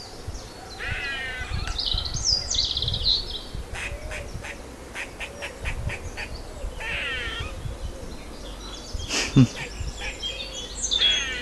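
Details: An eastern gray squirrel (Sciurus carolinensis) in a tree, wagging its tail and seemingly alarmed or threatened by something other than the filmer, gives harsh, squeaky calls in short bursts with a few quick chucks between them.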